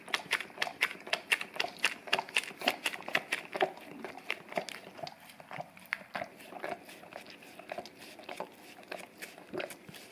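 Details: English cream golden retriever, a male dog, cleaning his tongue on a peanut-butter-covered Orapup brush taped down on tile indoors; steady loud wet laps about twice a second at first, then softer, more scattered smacks with faint crinkling.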